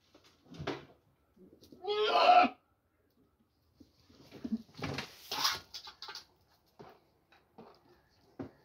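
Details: Farm goats in Pakistan fighting over corn: a loud, strained, human-like scream of about half a second, then a second rougher, breathy cry, with scuffling and knocking sounds between.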